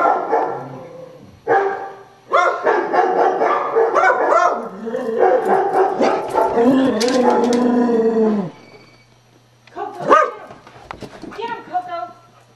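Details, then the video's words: A pet Beagle barking at computer sound effects indoors: a long stretch of loud, howling barks and drawn-out bays, then a pause and a few shorter yelping barks, with a steady low hum throughout. "(Beagle) Barking At Computer Sound Effects"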